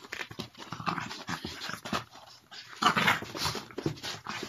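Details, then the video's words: Mochi, a Boston Terrier and French Bulldog mix, wrestles indoors with Curro in a play-fight. Harsh, breathy growls and snorts come in rapid uneven bursts, with scuffling throughout. "Epic and hilarious doggy play-fight"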